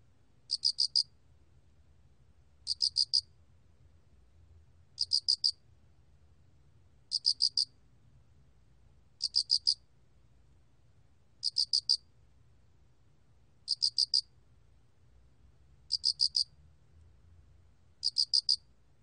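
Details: Steady song of a cricket (알락귀뚜라미): high, crisp chirps of three to four rapid pulses, spaced evenly about every two seconds, with only a soft low hum behind.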